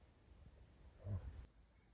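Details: Sleeping puppy snoring, likened to an old man's snore: one low, rumbling breath sound lasting under half a second, rising out of a quiet indoor hush and fading again.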